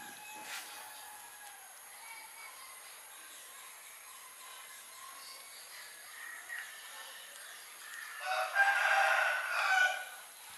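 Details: Kittens, hungry and being fed chicken meat: quiet, scattered faint mews for most of the stretch, then a loud burst of high, wavering meows near the end, overlapping one another.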